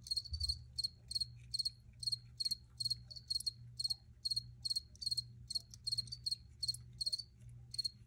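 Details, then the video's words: Cricket chirps in a regular rhythm, each a tight burst of high pulses about every 0.4 seconds, evenly spaced and clear against a quiet background with low hum. "Free Cricket Sounds for Re-Use or Relaxation"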